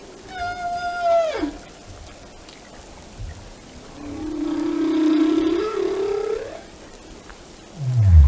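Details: Whale song: a level whistled tone ending in a downward slide, then a long, slowly rising moan lasting over two seconds, and finally a loud deep sweep dropping low at the close.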